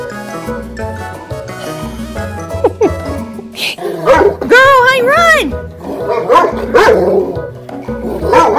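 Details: Pet Black Lab and Golden Retriever mix dog playing at home, giving a few sharp barks and a drawn-out whining yelp with wavering pitch, over steady background music and a person talking.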